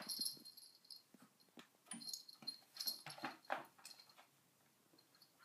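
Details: Sona, a pet dog, snorts and wheezes at a cushion: short breathy rasping bursts come every half second or so, fading into quieter snuffles toward the end.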